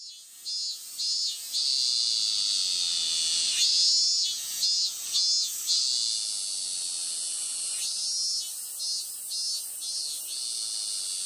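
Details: A robust cicada (Hyalessa maculaticollis) sings at Konpira shrine, Moroyama, Japan, on 12 August 2020: loud, shrill pulses about twice a second over a steady high drone.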